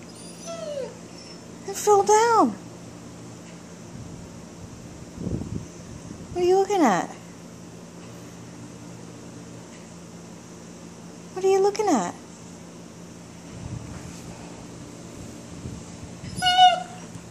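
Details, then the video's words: Female German Shepherd, in heat, whining for her ball indoors; four bursts of high, quavering whines roughly every four to five seconds, with a woman talking and a constant electrical hum. "German Shepherd whines for ball"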